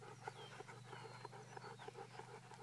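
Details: Golden retriever during a game of fetch, giving quick breathy pants in a steady rhythm, about three per second, over a low hum.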